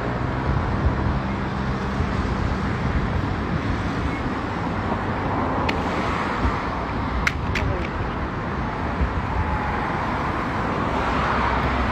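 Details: Steady roadside traffic rumble with passing vehicles, a few sharp clicks and faint voices; no animal calls stand out.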